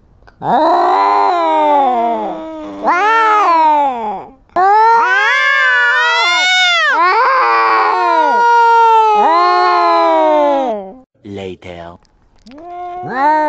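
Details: Kittens going head-to-head in a fight produce a long run of loud, wavering yowls that rise and fall, some strained and harsh, then break into shorter quieter cries toward the end.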